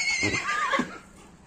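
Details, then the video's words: Horse neighing: a loud, bright whinny with wavering overtones that dips and quivers for about a second, then trails off into quiet background noise. "horse sounds"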